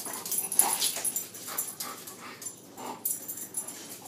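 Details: Guinness, a pet dog, plays with his new toy and gives soft, high whimpering yips in short irregular bursts, several each second, over faint rustling and handling noise.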